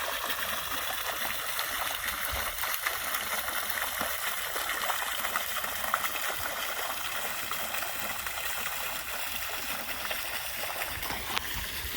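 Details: Steady trickling stream water fills the whole recording at night, a continuous broadband rush with no clear animal calls standing out.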